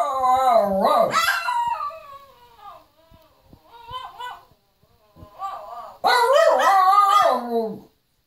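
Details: Pet Shih Tzus howl in long, wavering, yodel-like tones that rise and fall, recorded on a phone.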